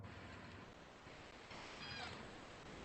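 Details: A J-pod killer whale gives a brief, harmonic 'yeehaw' call unique to its family pod, recorded by hydrophone over a hiss of boat noise, here filtered out.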